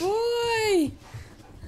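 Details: Jackson the Weimaraner, frustrated at being stuck under the bed for half an hour, lets out a sustained, high, even-pitched whine that bends downward as it fades, followed by quiet room noise.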